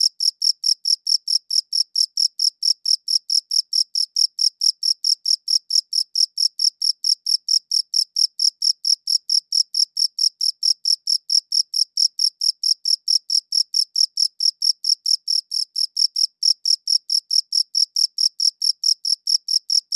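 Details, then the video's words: A cricket chirps continuously, recorded in high quality: sharp high pulses come quickly and evenly, a little over two each second, without pause over a long run, with a silent background. "Cricket Chirping Sounds"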